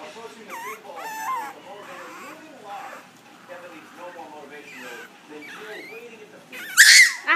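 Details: Young Chihuahua puppy, ten weeks old, objecting to a jacket: soft whiny murmurs under a woman's questioning voice, then a sudden loud, squealing yowl near the end.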